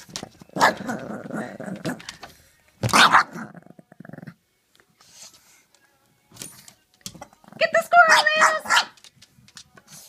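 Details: A Pekingese confronting a squirrel gives short, high yappy barks and a rough growl, with people talking nearby.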